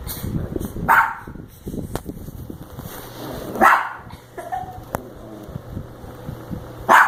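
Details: Dog in a house barks at a woman snoring in her sleep; three separated barks across several seconds amid clicks, rustling and a faint low hum.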